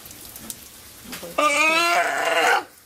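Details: Captive sea lion, one year old, at an aquarium in Ise, Japan, giving a single harsh, bleating call of about one second with stacked harmonics, followed by a keeper's voice.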